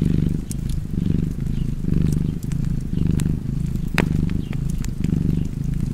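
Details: Pet cat purring in a steady rumbling drone that swells in slow breath cycles, with fireplace crackles and a sharp pop near the end.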